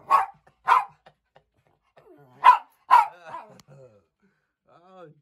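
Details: House dog barking at the family cat indoors on 29 April 2020: two pairs of sharp, loud barks about half a second apart, followed by softer trailing whiny sounds and quiet room noise.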